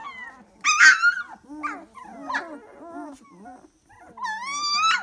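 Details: Dalmatian puppies, three weeks old, giving high, sliding whines and squeaks, with one loud rising-falling squeal early and another long climbing whine near the end.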